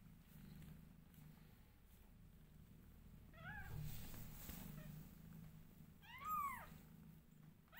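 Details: Newborn domestic kittens meowing loudly while their mother grooms them: two thin, arched meows, a faint one near the middle and a stronger one toward the end, over a steady low purring rumble.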